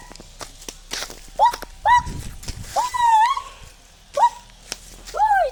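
A jackal calls in brief, nasal yelps, each sliding up and curling down, repeated at uneven intervals of about a second. Faint rustling and soft knocks sit in the background between calls.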